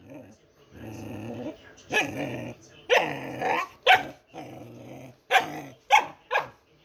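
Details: Pet dog making funny noises: long, drawn-out growling moans that rise into strained, whiny grumbles, then a run of short, sharp barks spaced about half a second to a second apart toward the end.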